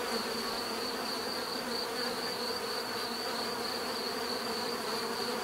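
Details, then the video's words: Steady mass of bee buzzing, low and humming, unchanging in loudness over five seconds, with a faint high whine layered above. "bees therapy relaxing natural buzzing sound"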